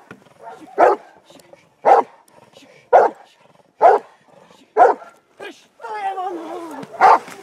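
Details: Hovawart dog barking during protection training focused on barking at a decoy in the hide and obedience, 26 January 2014. Six harsh, punchy barks spaced about a second apart, with a trainer's voice calling out between them.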